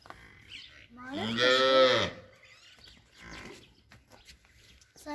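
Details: A one-year-old Nili-Ravi buffalo from Chak Dhillu, Gujrat, kept as a future breeder, gives one loud harmonic moo lasting about a second, rising then falling, with quieter voices and low background noise around it.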